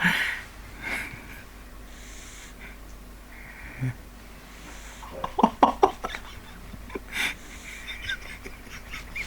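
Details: Pet pug named Neil asleep, tired after a hospital visit for a vaccination; wheezy, breathy snores recur roughly every one to two seconds, with a brief cluster of snorting, clicking breaths midway and a quiet room behind.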